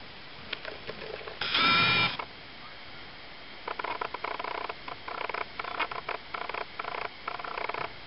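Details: Three-week-old Ocicat kittens, a litter of one black silver female, one chocolate female, one tawny female and one tawny male, give a single loud, harmonic mew lasting under a second, followed by repeated soft scratching and shuffling indoors.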